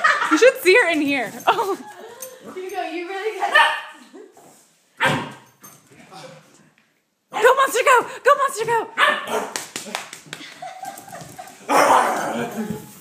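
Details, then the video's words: A female puppy barking at another animal and a toy, with sharp high yips and short bursts of barks between pauses, mixed with a person talking over much of the recording. "Puppy barks at Hugo and toy"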